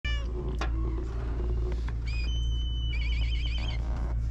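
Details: Stray cat on a cat island, filmed with a GoPro, giving a short meow at the start, then wavering high-pitched mewing calls later, over a constant low hum and a steady whistling tone.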